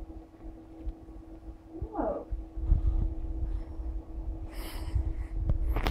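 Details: Playful little ginger kitten named Maddy gives a single short meow that rises and then falls, heard indoors over a steady low rumble and hum, with brief clattering toward the end.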